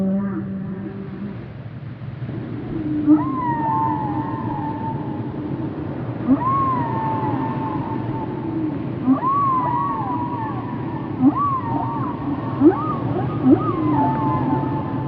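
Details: Whale song of higher tonal calls, each sliding up then curving down, with overtones, repeated every few seconds, mixed with short clicks and low moans over a steady underwater rumble.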